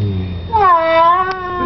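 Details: Domestic cat meowing while being given a bath: a single drawn-out, tonal meow that dips then levels off, with a woman's voice murmuring just before.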